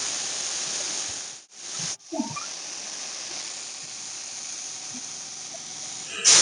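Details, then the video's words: Russell's viper (Daboia russelii) hissing as a warning when threatened: a loud, steady, prolonged airy hiss, bright and high, broken by two brief silent gaps near the start, then continuing evenly to a sharp burst at the end. "Russell's viper hissing sound | Snake warning sounds | Russell's viper roar sound"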